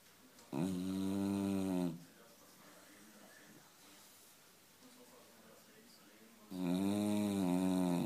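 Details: Nine-year-old Beagle named Kira snoring indoors: two long, loud, rasping snores with strong harmonic bands, each lasting over a second, separated by about four seconds of quiet breathing.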